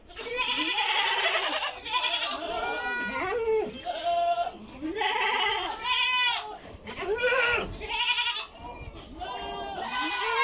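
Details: Goat farm in Karnataka, India, where many goats bleat almost nonstop: loud, tremulous, nasal calls arching up and down, overlapping one another in dense chorus with barely any pause.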